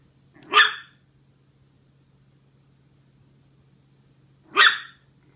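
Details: Two-month-old Maltese puppy barking: two short, sharp, high-pitched yaps about four seconds apart over a faint steady low hum.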